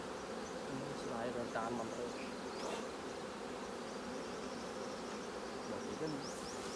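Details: Continuous massed droning of honey bees around an opened hive at honey harvest time, fully capped combs being taken; soft voices and a few handling noises rise briefly over the steady hum.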